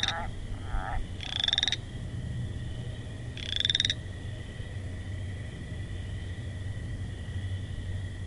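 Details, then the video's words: Frog calling: two loud buzzy, pulsed notes about two seconds apart, each rising slightly in pitch, after a few shorter, softer croaks at the start, over a steady low hum. "Frog Sounds"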